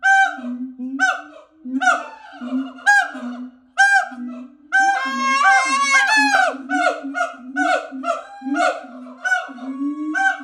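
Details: At a sanctuary, siamangs give loud, honking barks, repeated about once a second, with a quicker rising run of whoops midway.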